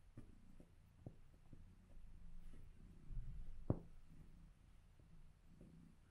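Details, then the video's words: Tom, a black and white male cat, purring softly while kneading, 'making biscuits' in a room: a low, steady rumbling murmur with faint soft clicks and one sharp tap midway. "Happy Kneading Purring Cat"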